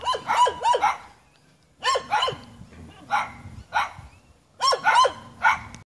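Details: Jamaican dogs barking at the person filming in the hills: quick bursts of two to four sharp barks, with gaps of about a second between groups, roughly a dozen barks in all.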